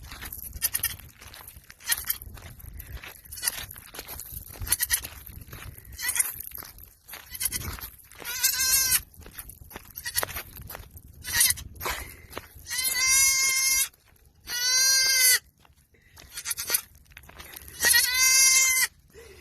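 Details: Baby domestic goats amid steady crunching and clattering sounds, with four bright, quavering bleats rising out of the noise in the second half, each about a second long.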